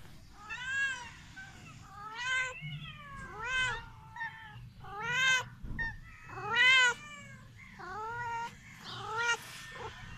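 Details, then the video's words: Young male kitten meowing repeatedly, high clear mews with arched, slightly rising then falling pitch, about one every second or so, with soft rustling between calls. "My heart melts when he says meow"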